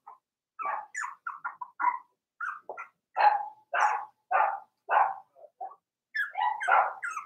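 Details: Daisy's four-week-old Cavalier King Charles Spaniel puppies in their pen, letting out bursts of short, high squeaky yips and little barks, some grouped in quick doubles and triples, separated by brief silences.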